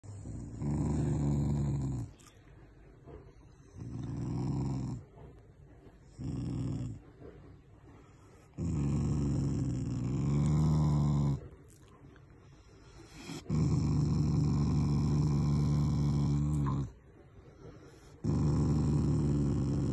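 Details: Shiba Inu, a pet family dog named Taiga, growling affectionately rather than angrily: long low rumbling growls in bursts of one to three seconds separated by short quiet gaps, six bouts in all.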